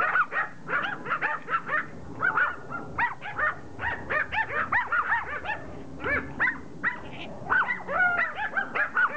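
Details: Pomeranians in a group attacking a rugby ball: a dense run of sharp, high yapping barks and whimpering yips, bursts coming several per second with brief pauses between clusters.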